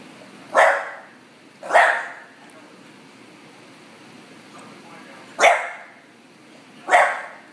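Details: A female bulldog barks after being ignored, giving four short sharp woofs in two pairs, with a long quiet pause between the pairs.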